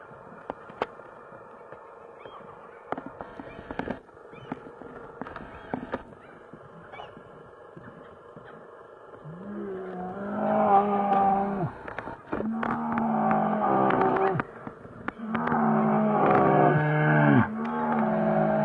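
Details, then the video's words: Two big brown bears fighting in Finland; after a quiet stretch of scattered knocks and clicks, harsh harmonic roars break out midway, coming in long overlapping bursts with falling, wavering tones. "Two big brown bear fights in Finland"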